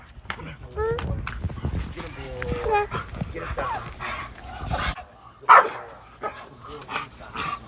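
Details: American Pit Bull Terrier; barks and yips; protecting its owner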